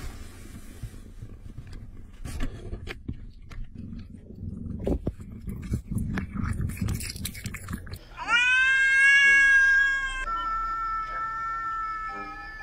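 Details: Pet cat indoors: several seconds of rustling and chewing-like clicks, then one loud, long, rich meow that swells and holds. A thinner steady tone lingers after it fades.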